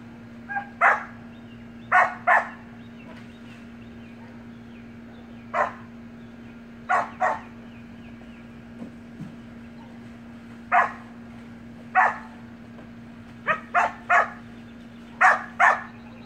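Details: Samoyed puppy and siblings playing in a pool, letting out short high yappy barks, often in pairs, scattered irregularly through the scene over a constant low mechanical hum.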